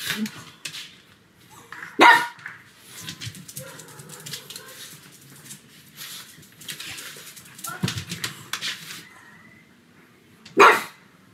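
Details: Sebastian, a pet pug, barks loudly indoors on a sunny afternoon. Three strong barks stand out several seconds apart over a steady murmur of low background noise and faint rustling.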